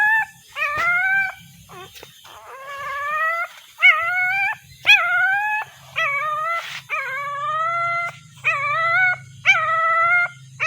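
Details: Puppy searching for its mother, crying in a steady series of high, tonal whines, each starting with a sharp upward yelp then holding a level or slightly falling pitch, nearly one per second, over a faint low hum.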